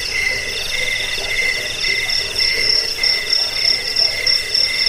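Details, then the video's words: Shrill cricket trilling, used to scare rats, aid sleep and train songbirds; fast rippling pulses on a high tone and a lower ringing tone, swelling in short bursts several times a second. "Suara jangkik pengusir tikus pengantar tidur"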